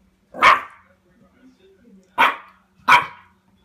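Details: A Cairn Terrier puppy, confronting a door stop, gives three sharp, high barks with brief pauses between them.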